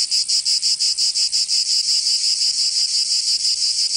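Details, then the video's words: Cicadas singing in summer in Provence, southern France: a dense, shrill, high buzzing that throbs in quick regular pulses about three times a second, steady throughout with no other sounds. "Canto Cigarra 🦗 [ Escuchar les cigarras en verano"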